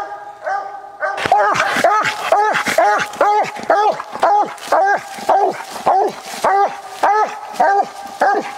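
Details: Walker coonhound Copper on a coon hunt gives loud, evenly paced ringing barks about twice a second, each bark rising then falling in a rich tonal arc, with little background noise beyond faint rustling.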